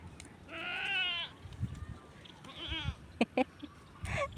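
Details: Farm goats being given malunggay (moringa) as organic feed bleat twice in quavering, tremulous tones: a long, loud cry near the start and a shorter one later, followed by sharp clicks and a brief nasal call at the end.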